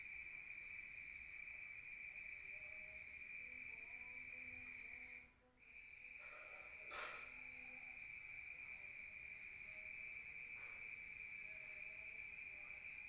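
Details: Rural night crickets heard from indoors: a continuous shrill trill that drops out briefly midway and then resumes, with a short sharp click soon after and faint low tonal notes underneath.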